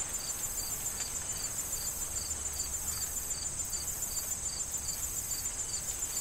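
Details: Autumn corn field crickets before the fall harvest, their short bright chirps evenly repeated roughly every third of a second above a constant high insect hiss, while gentle wind moves through the stalks.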